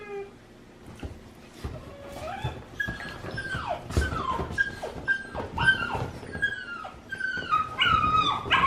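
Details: Dog whining indoors in reaction to dogs whining and other loud noises: a run of high, falling whimpers and yips that grow louder and more frequent toward the end, with some low room noise underneath.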